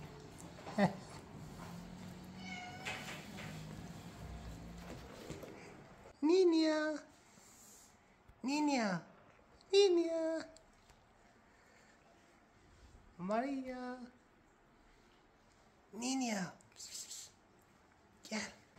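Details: Rescued cats living together indoors; a cat gives about six drawn-out, rising-then-falling meows spaced a few seconds apart, after a quieter opening with a woman speaking softly in the background.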